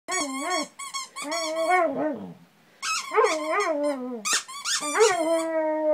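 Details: Ranger, a dog, howling and crying along as his toy turtle squeaks; wavering, whiny howls in several bursts with rising and falling pitch, a brief pause midway, and a person speaking softly afterward.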